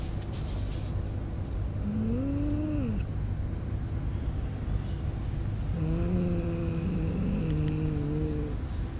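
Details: Stray cats, with newborn kittens in a homeless person's bed: two low, tonal meows, the first short and arched, the second long and level with a wavering end, over a constant low rumble like traffic.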